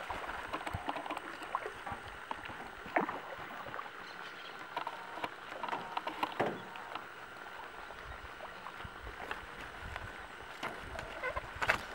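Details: Paddles splashing and water knocking against a small boat, with a faint steady hum and no animal voices. Sharp wooden knocks and gurgling water make up the rest.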